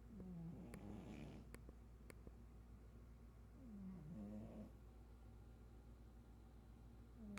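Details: Pug Chato snores in a series of short, low, gravelly breaths roughly every three to four seconds, mixed with a few sharp clicks and a continuous low background hum.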